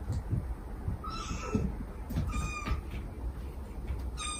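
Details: Mother stray cat calling softly to her kittens, with the kittens mewing back in affectionate begging, taped for a rescue lure; thin level high mews, a few short calls over a low rumbling, knocking background.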